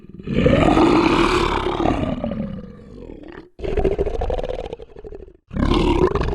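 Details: Lion roaring: a deep, drawn-out roar that swells and then fades, followed by two further rough, forceful roars after short breaks, with no other clear sounds.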